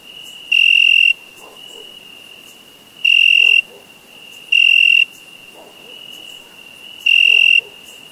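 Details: Summer crickets: four loud, bright, half-second chirps at irregular gaps of two to three seconds, set over a steady, unbroken high-pitched trill that carries on beneath them throughout.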